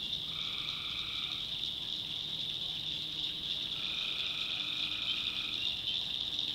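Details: Night-time tree frog calls from a North Carolina backwoods swamp: a harsh buzzy note near the start, then a longer nasal call that stretches almost two seconds, all over a continuous high shrill background chorus.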